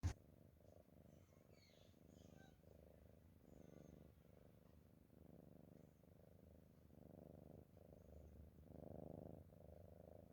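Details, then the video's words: A sleeping cat snoring: soft, low rumbling breaths in a steady rhythm, each swell lasting about half a second to a second, in a quiet room with faint background hiss. "Nice Cat Snoring"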